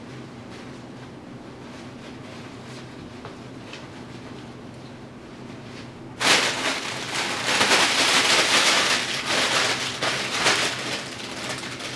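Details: Quiet indoor rustling gives way midway to loud, sustained crinkling of plastic sheeting.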